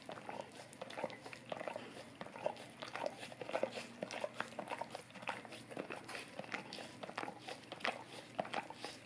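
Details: Indoors, a Golden Retriever keeps licking a tongue cleaning brush: soft, rapid wet smacks and clicks tumble along unevenly, with no other sounds beyond room hush.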